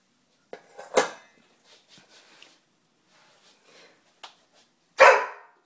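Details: Doberman puppy indoors letting out two sharp, loud barks roughly four seconds apart, with faint rustles and small knocks in between.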